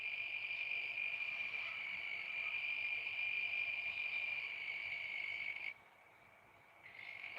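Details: Cricket singing outdoors in the background as the sun gets low. A continuous, thin, high trill holds at one pitch, cuts out abruptly for about a second near the end, then resumes faintly.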